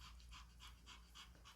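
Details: Timid puppy struggling in an unfamiliar spot inside the house: quick, breathy panting bursts, about four per second, steady and soft over a low indoor hum.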